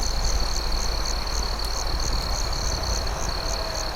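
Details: Nighttime cricket chorus beside a crackling campfire, a high sustained trill with rhythmic chirp pulses around three per second, the fire's low rumble and snaps filling the background.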